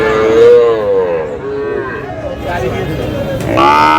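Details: Sahiwal bull calves at a cattle market, dated 27 March, a Cumilla farmer buying; a long wavering low moo followed by a shorter higher bellow, with faint voices in the background.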